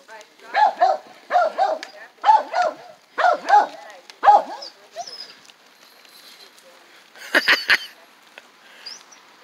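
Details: Jack Russell Beagle cross on a dog run for the first time: a run of six strong, evenly spaced barks roughly once a second, then quiet, followed by a short harsh rattling noise and distant voices.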